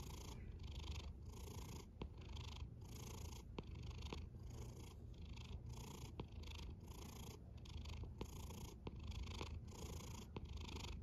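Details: Snoring domestic cat: a low, continuous rumble pulsing in steady breath cycles roughly twice a second, with soft hissy upper tones on each breath and occasional faint clicks, in a quiet setting.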